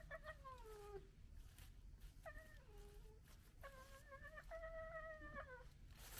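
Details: A female fox gekkers at a male fox: whining, stuttering gekkering calls over a low rumble of background noise.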